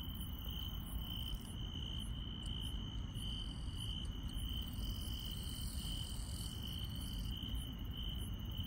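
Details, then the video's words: Countryside grass insects calling at night: an unbroken, even high trill runs the whole time, overlaid by rapid, thin, very high chirps in short bursts, all above a steady deep background rumble. "시골 밤의 정겨운 풀벌레 소리"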